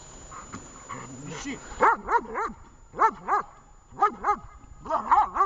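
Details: Vesta, a dog in training at Horlivka on 20 July 2019, gives rapid paired barks in bursts about once a second, each bark arching up and down in pitch, after softer whining yelps at the start; quiet voices faintly underneath.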